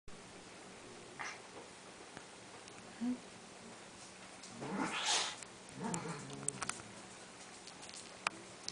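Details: Sphynx-line kittens from a Bambino (Sphynx × Munchkin) cattery litter give a few short, thin mews with a rough, breathy edge among soft household clicks.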